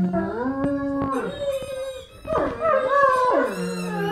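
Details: Two Great Danes howl together in a long, wavering howl that rises, holds, and slides back down.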